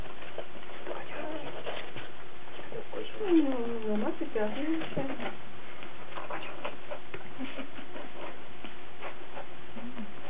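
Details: Cardigan Welsh Corgi puppies recorded on 17 March 2008, giving soft whining squeaks with rising and falling pitch sweeps, clustered mid-clip, over a low steady hum and light tapping.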